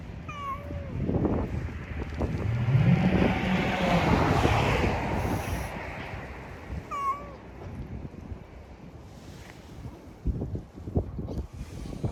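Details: Drowsy community cat outdoors giving two short falling meows about six seconds apart, over heavy wind rumble on the microphone.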